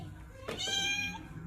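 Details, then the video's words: Khao Manee cat begging for cat food indoors, one short thin high meow over a low background hum. "he talks alot when it comes to catfood."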